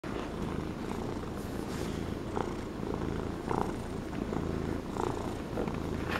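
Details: A fluffy pet Norwegian Forest Cat indoors in a relaxed purring mood, giving a steady low rumbling purr throughout, with soft brighter pulses as it breathes in and out.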